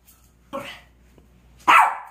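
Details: A pet dog at mealtime, about to be given a special meal of pork and dried pollack, lets out two short, sharp barks about a second apart. The second bark is louder, with quiet pauses around both.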